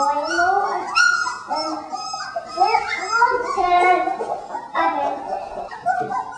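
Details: Three-week-old puppies of Jen and Singe in their newly expanded pen give overlapping high whines and wavering little howls, rising and falling continuously across the clip, with a woman's voice faintly present.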